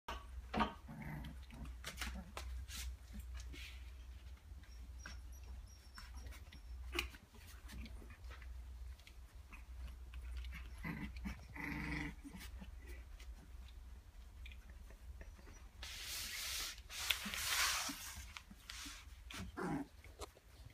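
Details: Husky puppies at play give scattered short growls and yips, with soft scuffling and a steady low hum beneath, then a loud burst of broadband rustling near the end.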